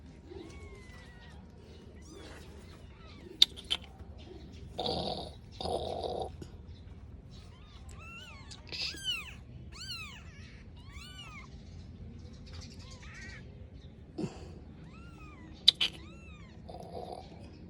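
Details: Five-day-old kitten mewing: high, thin arched cries repeated in short runs, with brief rustling and handling noises and a low background hum.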